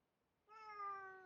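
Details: Pet cat indoors utters one smooth, sustained meow, rising slightly then easing down, clean and close, in a quiet room.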